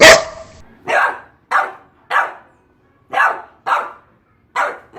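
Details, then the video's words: Boxer dog barking: sharp, loud single barks repeated roughly every half second to second, about eight in a row, with a brief high tone at the start and quiet gaps between. "LATIDOS DO CACHORRO BOXER 🐾SOM DE CACHORROS 🐶 BOXER DOG BARKS"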